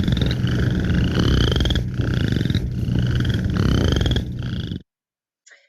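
Western Chorus Frogs give short, creaky, pulsed trills that climb in pitch, repeating about every second, like a finger run down the teeth of a comb. A steady low hum sits beneath the calls.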